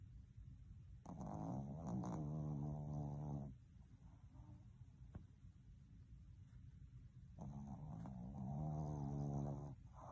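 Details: Reluctant to wake, a Boston Terrier gives two long, low, snoring groans, each about two to three seconds, separated by several seconds of quiet breathing.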